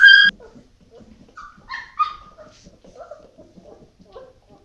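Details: Dogo Argentino at a breeding kennel: one sharp, loud bark opens the moment, then softer high whines and short yips follow while people talk quietly nearby indoors.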